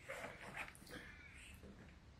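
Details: Gaga, a hungry Russian Blue cat indoors, gives faint, thin, high meows, two brief tonal cries in the first half-second and again near one second, over a low room hum.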